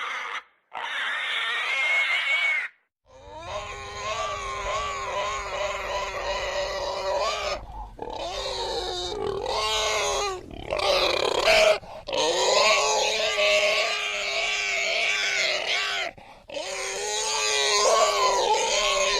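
A pig squeals loudly in long, shrill, wavering bursts broken by brief pauses.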